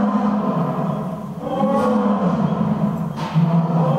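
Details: Earth and Silk, lions at Nonhoi Park (Toyohashi Zoo), Japan, roaring against each other; deep sustained bellowing roars overlap, dipping briefly around mid-clip before another low surge near the end.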